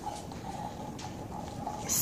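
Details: Oliver, a llama, gives soft, scattered tongue clicks like clucking, in response to another llama, Thor, complaining about being stuck in a stall.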